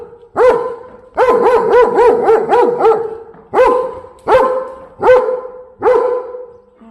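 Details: Warning barks from a German Shepherd dog on bodyguard duty: a single bark, then a rapid run of about seven barks, then four more spaced roughly every 0.7 seconds.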